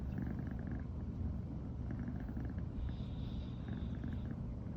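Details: Morning purring from Riri, a female American Shorthair with brown tabby coat, born 2020, after the first night sleeping together: an unbroken deep rumbling drone with brief faint higher rustling near the end.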